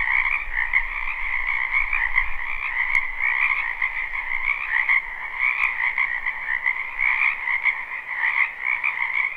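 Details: Live recording of numerous frogs croaking in a wetland during spring: a thick, steady trilling wall of calls in a high register and a lower one, with slight swells and a low rumble early on.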